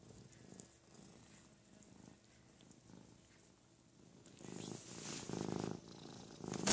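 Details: Purring from Ruby, a female house cat, as Lugosi, her big 'brother', washes her: a quiet, steady low rumble that swells louder in the final seconds, ending with a sharp click.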